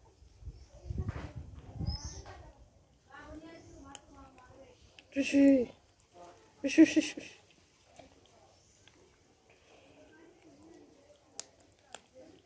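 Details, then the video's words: Kitten growling angrily when disturbed while eating: two loud, harsh, noisy bursts with a low tonal growl, each lasting under a second, between quieter murmurs and soft human speech. "Cute kitten gets angry if you disturb eating"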